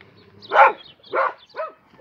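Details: A dog gives three or four short, yelping barks about half a second apart, each brief and sharp with a quick drop in pitch.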